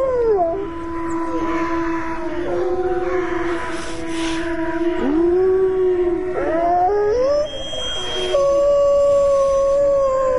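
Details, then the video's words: A pack of wolves in a snowstorm: sustained layered howls, one voice swooping up and then sliding down while the others hold level tones, with a faint thin whine near the end and windy background hiss. "صوت ذئاب مخيف من داخل عاصفة ثلجية Howling wolfs in snowstorm"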